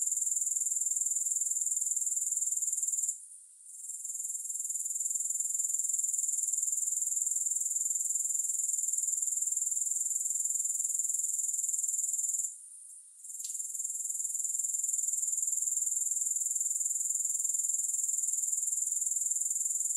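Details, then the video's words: Unbroken high-pitched grasshopper trill with a rapid, regular pulse, interrupted twice by brief dips into quiet before the shrill chorus swells back to full strength. "Grass Hopper Sounds"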